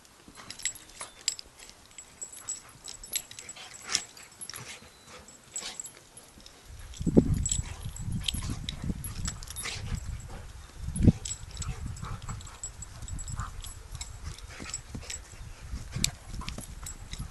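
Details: Rudy and Sully, a flat-coated retriever and a golden Irish setter, play fighting as best buddies: low rumbling growls start after a quiet opening and continue in bursts, mixed with scuffling and clicking noises.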